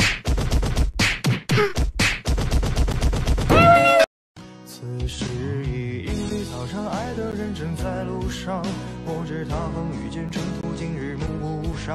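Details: Sharp rapid bangs open the passage, then a short gap of silence. Music with wavering sung or groaning voices follows, and no clear animal sound stands out.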